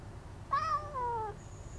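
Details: Kijita, a domestic cat, meows through a window screen to get attention. A single clear meow of nearly a second rises briefly, then slides gently downward and fades. The background is quiet, with a faint thin high tone afterward.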